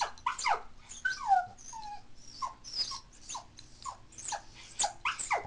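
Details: Female toy poodle born in 2003, crying at home after her family has left the house; rapid run of short, high whimpering cries, many sliding downward, some with brief upward flicks, coming in quick uneven bursts.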